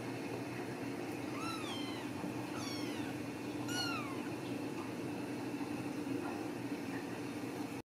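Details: Young Ragdoll kittens raised in a home cattery in central Kansas give four high, thin meows in quick succession, each sliding down in pitch, over a constant low mechanical hum.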